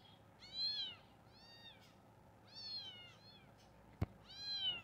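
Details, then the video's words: Meowing kitten gives a series of bright, bending mews in pairs, loud then softer, with a sharp click or tap near the end before a final strong meow. "Stop 🛑 Meowing Kitten 🤩 Meow Cute Cat Kittens"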